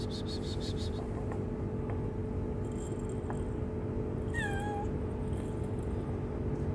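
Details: Hungry, shy stray kitten living on the street gives a single short, clear meow midway, wavering then sliding downward, over a steady low rumble of street noise with faint higher chirps early on.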